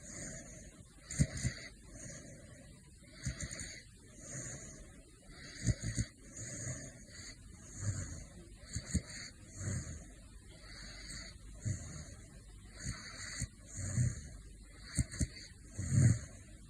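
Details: A male caracal, asleep, snores with soft, low, rasping breaths that repeat about every two seconds.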